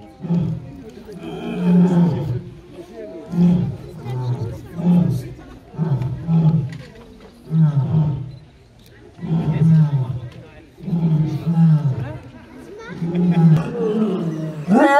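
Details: Lion giving a roaring bout, deep throaty grunts pulsing about every one and a half seconds, low and booming, steady in rhythm over the whole stretch.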